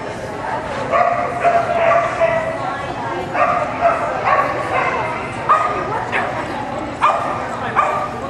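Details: Carmylie Cascabel, a dog competing at an AKC agility trial in Winchester, Virginia, in July 2010, gives short sharp barks in irregular bursts, some about half a second apart, over steady crowd chatter and voices.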